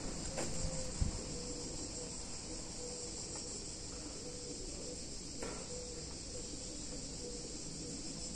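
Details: Chorus of cicadas in a warm summer Italian town, a continuous high-pitched sizzling drone without pause, with faint ticks and a brief low knock near the first second.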